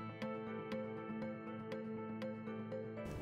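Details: Soft, sustained instrumental music with gentle regular beats and no animal voice.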